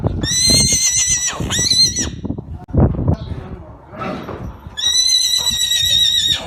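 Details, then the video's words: Arabian horse neighing: a high, shrill, steady whinny with rich overtones lasting about two seconds, a pause with low snorting and rustling, then a second long, level whinny. "أجمل صور خيول عربية أصيلة مع صوت صهيل الحصانpictures and neighing of horses"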